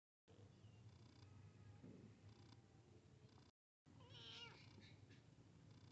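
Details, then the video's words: Domestic cat, a kitten meeting a big cat: a soft low-level meow with bright upper harmonics near the end, after a quiet stretch of low room rumble and faint clicks. "Meowing to Attract Cats Kitten Meets Big Cat"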